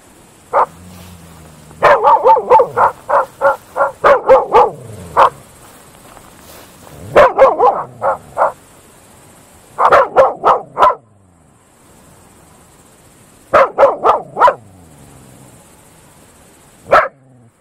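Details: Groenendael (Belgian Shepherd) dogs barking at night in open fields, quick ringing bursts of several barks separated by short pauses.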